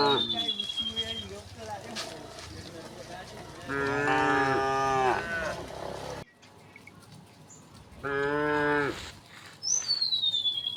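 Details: On a rocky village path to the rice fields, a herd of tame cows lows twice in strong harmonic moos, with fainter lowing, a bird's falling whistle and rustling around them.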